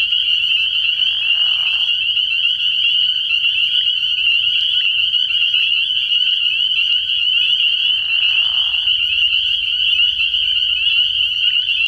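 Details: Spring peeper chorus after dark at a pond in early spring: countless shrill, high-pitched peeps layered into a constant ringing wall, broken twice by lower raspy bursts about seven seconds apart.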